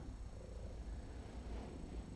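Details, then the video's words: Lice-infested feral female cat at her intake exam, purring because the cleaning of her foot feels good; steady deep rumbling purr, low and even throughout with no other sounds. "infested feral cat starts purring during intake"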